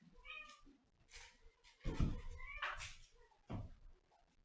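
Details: Domestic cat indoors giving a couple of short harmonic meows, close and clear, between bursts of thumping and rustling handling noise.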